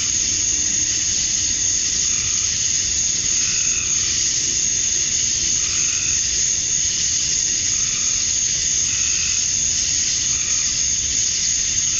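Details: At summer dusk in Georgia, USA, male cicadas chorus to attract females, a constant sizzling high-pitched buzz holding level throughout, with faint swelling mid-pitched hums every few seconds underneath.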